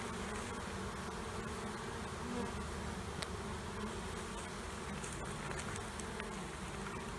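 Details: Honey bee colonies under a trailer being removed in Panama City, with a dense steady low buzzing of many bees throughout and occasional faint clicks.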